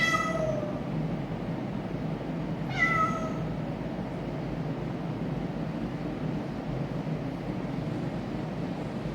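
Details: An orange cat making weird noises: a fading meow at the start, then a clear rising-and-falling meow near three seconds, over a steady low rumble.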